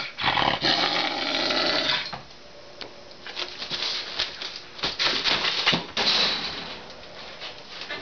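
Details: A male Canada lynx, a bottle-raised educational ambassador, gives harsh, rasping growls at feeding time while guarding his chicken leg, long at first, then in short broken bursts.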